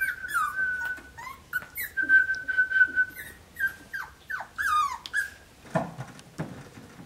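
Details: Playful Cavalier King Charles Spaniel puppy Snickers, one of a litter of five, whines steadily in high, drawn-out tones broken by short, falling whimpers, with light thumps and rustling near the end.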